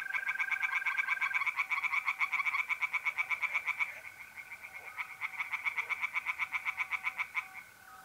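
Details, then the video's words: Tree frogs in a pond on a mid-April night, north-east Italy, overlapping bursts of quick grating croaks that stop briefly and resume, backed by the level trill of mole crickets. "relaxing singing tree frogs in pond and trilling mole crickets by night"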